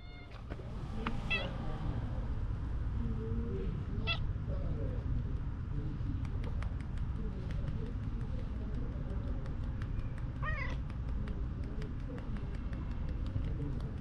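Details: Calico cat found at a ferry terminal, answering softly when stroked; a few short, quiet, thin meows at the start and near the end over steady low background rumble.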